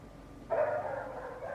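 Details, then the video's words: Neighbour's dog barking outdoors among other dogs it has set off: one sudden loud bark that trails into a sustained, slightly falling howl with a brief second note at the end. "Neighbor's annoying dog noise"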